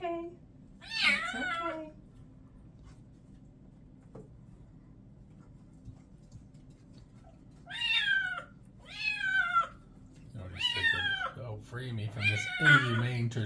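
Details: White and orange male kitten Ares, still wet after a bath indoors, gives a string of loud, wavering meows: one early cry, then a burst of four or five rising-falling mews close together, mixed with a person talking softly.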